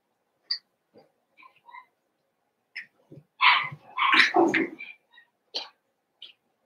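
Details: Eight Cavalier King Charles Spaniel puppies at play after Daisy's six and Robin's two pups are merged; scattered small squeaks build into a loud run of overlapping yips and harsh barks, then fade to brief chirps.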